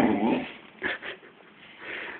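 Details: A 1-year-old male Staffordshire Bull Terrier gives a low, rough growl, then a couple of brief higher sounds.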